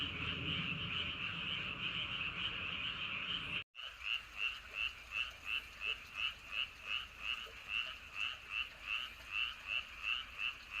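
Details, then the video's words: Frogs at night in Andong, South Korea, near Wolyeonggyo bridge and Hahoe Village: after a chorus with wind and a brief cut, one frog gives a clear, regular series of pulsed croaks, about three per second. "개구리. 바람소리 그리고 밤의 적막."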